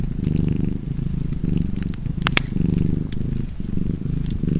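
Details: Low, rolling cat purr accompanied by fireplace crackle, the rumble swelling and fading in roughly one-second cycles, with a brief cluster of sharper pops partway through.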